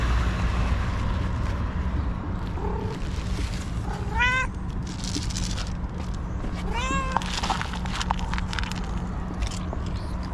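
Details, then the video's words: White female cat, described as angry and nervous, giving two short upward-sweeping meows a few seconds apart amid rustling, clatter and a steady low hum. "Angry White Cat Meows CONSTANTLY and Suddenly Gets Nervous"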